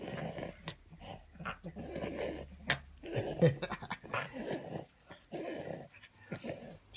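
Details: A French Bulldog that loves being tickled grunts and growls in low, throaty bursts with wheezy breathing in between, while a person speaks softly nearby.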